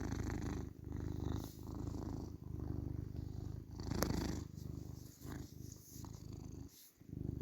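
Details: Male tabby cat, a house pet, purring indoors: a low, steady rumble broken by short breath pauses, with a sharp click near the middle and a brief quiet gap near the end.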